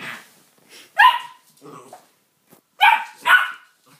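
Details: Pet dog barking at his new toy indoors: sharp barks near one second and a close pair near three seconds, with softer murmuring speech between them.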